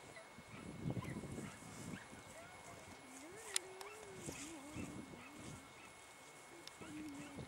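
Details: Dachshunds in full cry on a hare on 2 March 2019, giving drawn-out, wavering bays that rise and fall in pitch.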